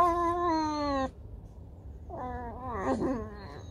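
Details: Pet fox at home pretending not to want to move as food is offered; a steady harmonic whine that sinks slightly, a pause, then a rougher, wavering whine with a brief scratchy burst, indoors.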